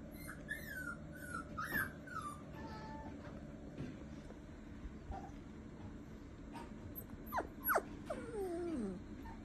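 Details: A young male Shiba Inu puppy, described as a quiet boy, gives thin high whimpers that slide downward in a short burst near the start, then several louder falling whines toward the end, with low steady background hum throughout.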